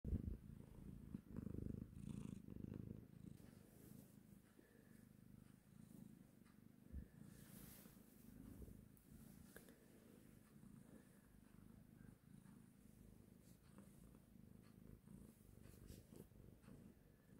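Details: Domestic cat purring: a low, steady rumbling throughout, louder for the first few seconds, then softer and continuous.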